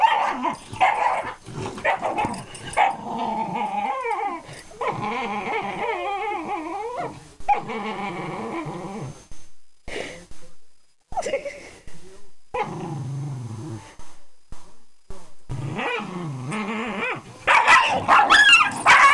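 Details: Miniature Schnauzer female squealing over her stolen toy, refusing to give in; bursts of wavering whines and growly squeals alternate with brief pauses, growing louder and higher near the end.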